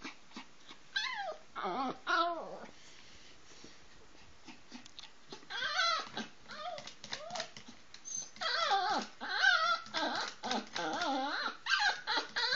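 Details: Poodle begging for food at mealtime, crying for the people's food; long, wavering, high-pitched whines rise and fall in bursts, separated by quiet pauses, inside a small room.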